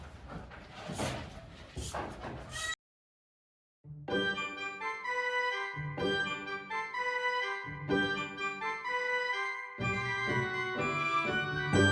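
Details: Electronic organ music plays in sustained chords, broken by a second of silence near the start, with no animal voices audible.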